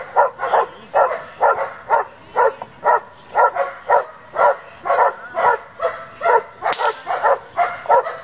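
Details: German Shepherd bred for work and competition, barking steadily about twice per second in a long insistent series of harsh, mid-pitched barks with little pause.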